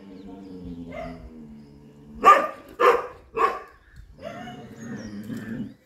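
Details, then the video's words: Chippiparai dog confronting monkeys: three sharp, loud barks in quick succession, framed by a lower rumbling growl-like sound before and after. "chippiparai dog fighting monkeys"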